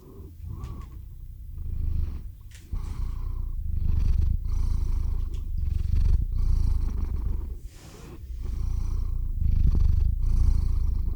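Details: Tabby-free domestic cat named Theo purring into a close microphone as he drifts off to sleep; low rumbling purr in alternating breaths, roughly four pulses a second, with brief quieter gaps between phases.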